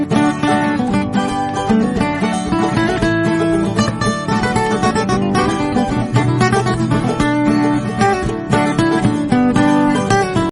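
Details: Loud strummed acoustic guitar music fills the recording, and no dog or other animal is heard.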